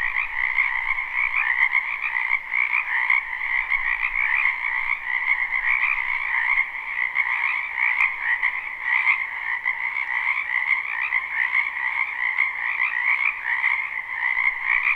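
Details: Frogs croaking together in a spring wetland near a home, recorded live; the overlapping calls form a thick, buzzing wall of trills that never pauses, with slight swells in volume.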